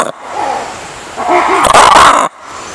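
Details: Lemur giving short tonal mewing calls, a higher wavering note followed by two lower rising-falling notes, then a loud harsh broadband burst lasting about half a second before abrupt quiet.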